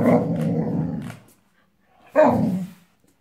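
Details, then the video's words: Female Boxador puppy, five months old, growling at her new pink pig toy; a sustained rough throaty growl for over a second, a pause, then a sharp loud growling snarl. "Boxer / Boxador Puppy HATES Her New Toy!!!"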